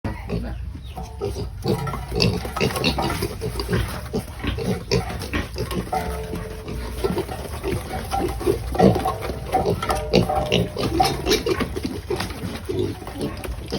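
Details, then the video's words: Pigs at feeding time, a noisy mass of overlapping low grunts and snorts, dense and continuous, with a few higher squeals rising out of the din. "Feeding the animals the sound of pigs is noisy"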